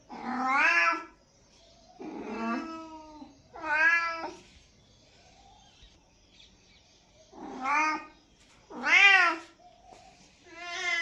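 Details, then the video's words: Kitten meowing in a quiet indoor setting: six separate harmonic meows spread over eleven seconds, each rising then falling, some drawn out and wavering, with silent pauses between calls. "Meow Meow"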